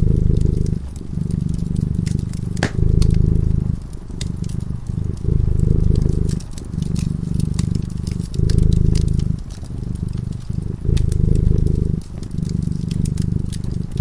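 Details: Cat dozing in front of a fireplace purrs steadily, its low vibrating rumble pausing briefly between breaths about every two seconds; frequent crisp crackles from the burning fire.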